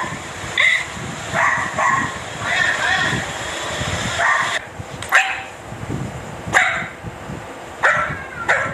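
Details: A dachshund gives a series of sharp, high barks, several in quick succession, with voices behind.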